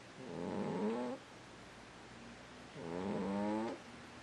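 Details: Two rough, buzzy snores from a sleeping cat, each about a second long with a slight upward sweep, separated by roughly two seconds of quiet breathing.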